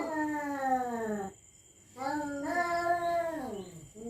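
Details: Cats howling at each other at night in a territorial standoff: long, moaning, harmonic yowls that slide downward, a short gap, then a longer wavering wail that bends down at its end.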